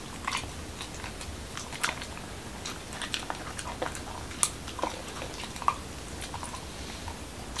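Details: Momo, a Pembroke Welsh Corgi in Washington DC, munches a dog-friendly taco night meal indoors. Sparse, sharp crunches and smacking clicks are spaced unevenly through a quiet room.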